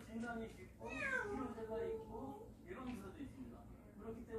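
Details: Indoors, one of a family of warehouse cats utters a strong meow that rises then falls away in a long tail, then a brief second mew, with people talking softly and faint room hum around it.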